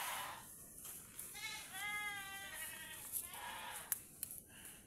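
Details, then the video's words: Domestic goats kept and tied up on a farm, with rain seeming about to come: a faint, wavering bleat in the middle, set against light background noise and music. "alagang kambing"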